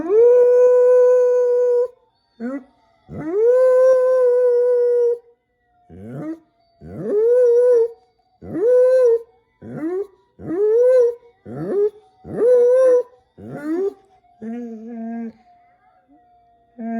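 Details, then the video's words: Jasper, a dog, howls in long drawn-out notes that rise and hold steady, then breaks into shorter rising howls and a few lower whimpering yelps toward the end, with brief pauses between phrases. "Jasper Howling"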